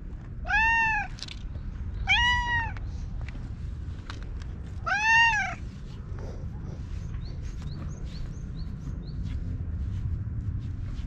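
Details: A meowing orange tabby stray that rubs against a person and is then groomed with a brush, recorded on a GoPro; three short arched meows in the first five seconds, then quiet rustling and faint chirps.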